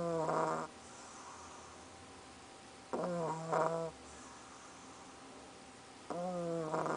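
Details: Soffie, a pug, snoring while asleep: three nasal, whistling snore bursts, each under a second long, with a wavering tonal edge, repeating about every three seconds between quiet breaths.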